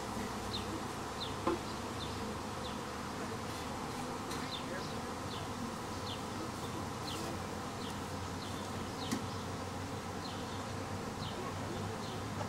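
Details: Honey bees swarming a second time, a week after the first, produce a constant, unbroken humming buzz, with brief bird chirps repeating faintly above it and a couple of sharp clicks.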